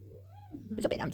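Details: Pet cat getting a massage gives a short, soft meow that rises and falls in a smooth arc for about half a second, followed by louder mixed voice-like sounds in a small room.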